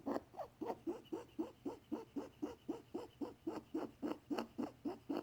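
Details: Unusual sounds from a possibly unwell pet rabbit, male, treated with antibiotics just in case. Quick, evenly spaced, grating pulses of nearly four per second, each a short wheezy burst, in a quiet room.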